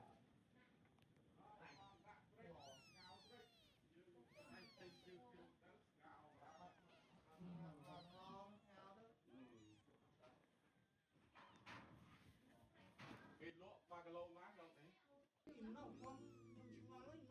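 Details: Cats on a farm: a mother cat carrying her very young kittens away one by one after they were placed together, the kittens just opening their eyes; thin high mews rise and fall in quick series over steady human voices talking nearby.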